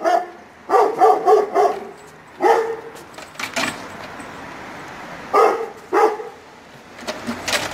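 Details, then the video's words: A Kangal puppy barks in deep, harsh bursts, answering the barking of neighbouring dogs. "ÇAPAR KANGALININ KOMŞU KÖPEKLERİN SESİNE SERT YANITI 🐕🐕🐕"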